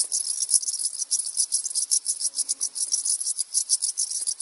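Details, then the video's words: A dense chorus of crickets, males stridulating by rubbing their wings, fills the air around mountain-village Mestia in Svaneti, Georgia, with high, shimmering, rapidly pulsed chirring. "Czy wy to słyszycie? To są wszystko te świerszcze."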